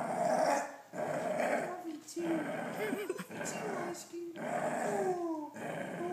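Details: A dachshund named Oscar guards his treats from his owner with a series of low, rumbling growls, broken into bursts about a second long with whiny, rising tones in places; a voice may be heard alongside.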